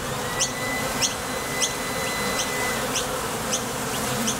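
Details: Honey bees at the entrance of a Top Bar Hive, leaving and landing as they fly to and from the field for nectar. A dense, steady wingbeat hum, overlaid by short high chirps repeating roughly every 0.6 seconds.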